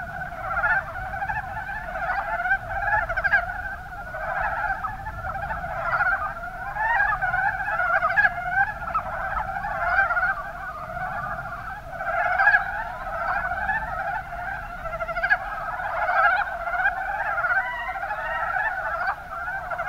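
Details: Chorus of mountain brown frogs, Rana ornativentris, recorded in Kumamoto's Kuma Basin, Japan: many overlapping callers giving quick, chuckling pulsed croaks without pause, with occasional louder bursts over the steady din.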